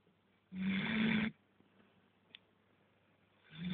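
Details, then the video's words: Dog snoring indoors: one rough, breathy snore lasting under a second with a low hum beneath, a quiet pause, then the next snore beginning to swell at the very end. "храп собаки"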